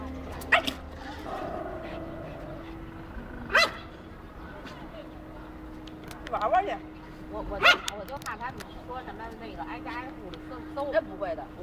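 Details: Old English Sheepdog puppy named Benson giving three sharp, loud single barks spaced several seconds apart, heard over steady Mandarin conversation and household background noise.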